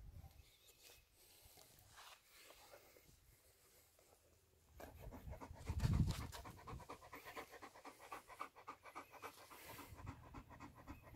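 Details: Hot-day panting from Major the German Shepherd during dinner: quiet at first, then from about halfway a brisk, steady series of short breathy huffs with a thump of movement.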